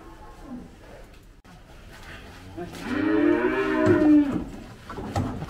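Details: Gama cattle cow, an F1 Belgian Blue x Brahman cross with two calves, smaller but hard to handle while being weighed, gives a loud drawn-out moo with rich stacked harmonics, rising then falling, amid clatter of handling.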